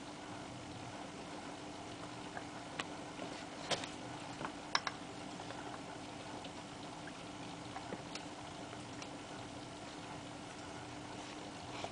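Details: Quiet indoor room with a low steady hum and scattered soft clicks and taps, but no animal voice.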